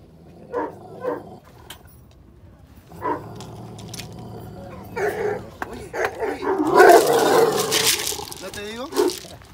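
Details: Dogs during an encounter between a Belgian Malinois and a Dogo Argentino, Bull Terrier and Rottweiler; the dog gets worked up when other dogs bark at it. Short separate barks early, then a loud rough burst of barking with men talking over it.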